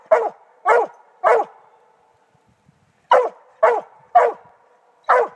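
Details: Redbone Coonhound; chop bark; signalling quarry treed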